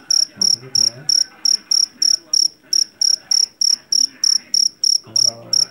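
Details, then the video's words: Java cricket, jangkrik jeliteng, captured in a rice field: a sharp, high-pitched chirp repeats at a steady quick tempo, about three each second, with faint low hum and murmurs underneath. "SUARA JANGKRIK PENGUSIR TIKUS SUARA ASLI"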